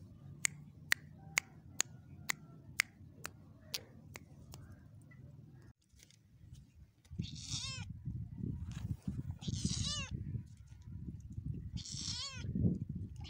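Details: Cat meows from a 2022 compilation of cute cats: after about six seconds of evenly spaced sharp ticks, three high, wavering, tremulous meows follow, each about a second long, over a steady low rumbling background.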